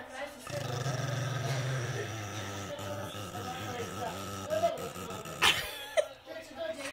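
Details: Pekingese dog; growl; anger, aggressive warning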